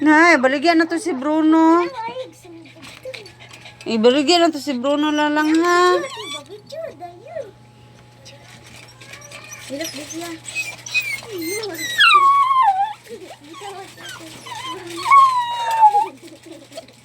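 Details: Crying dog with two long, drawn-out, quavering wails in the first six seconds. These are followed by quieter, scattered sliding whines and squeaks, with a steady low hum underneath.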